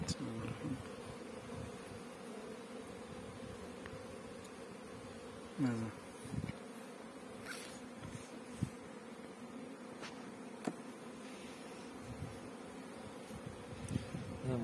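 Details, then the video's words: Farmed honey bees in Pakistan making a constant low buzzing drone from many insects together, with occasional close individual fly-bys, light clicks and knocks, and faint human voices in the background. "Honey Bee Farming in Pakistan"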